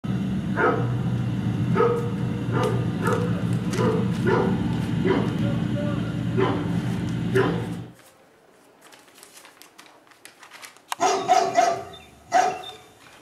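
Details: Litter of Bodie/Mattie puppies, 28 days old, still sleepy before dinner after napping in a wire crate in their freshly cleaned pen, an animal-noise CD playing. Short high yelps come about every half second over a low steady rumble, then near silence, then rustling.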